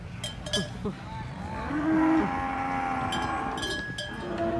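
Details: Cattle at a cattle contest in Banyuwangi, Indonesia, during an unexpected raging episode; a drawn-out, hoarse low moo swells in the middle, over crowd noise, clapping and background music.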